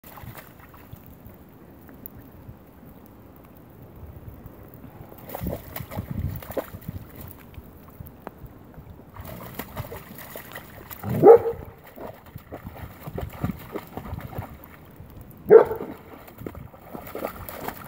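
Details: German Shepherd playing in rainwater, giving two short, sharp barks several seconds apart against a background of splashing and sloshing water.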